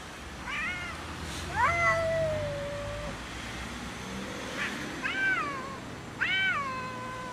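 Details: Cats fighting and arguing about food, trading a series of angry yowls: a drawn-out falling wail, then several shorter bent cries about a second apart, over a steady low rumble.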